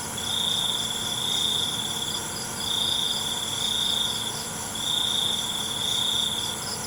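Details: Crickets at night: three long, steady high-pitched trills, each about two seconds, separated by short pauses, over a constant shimmering insect chorus.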